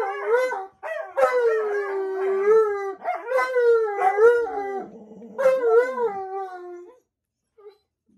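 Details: Long howls from an Alaskan Malamute, sustained wavering tones that rise at the start and slowly fall, broken by short yips and quieter growly passages, ending in silence after about seven seconds.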